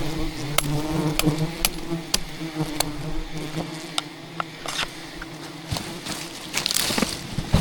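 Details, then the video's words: Thousands of aggressive wild bees defend their colony, attacking as a giant hidden hive is harvested by traditional honey hunting in dense rainforest; a steady low droning buzz with layered hum fills the scene, broken by sharp repeated knocks and clicks. "ATTACKED by Angry Bees While Harvesting a Giant Hidden Beehive"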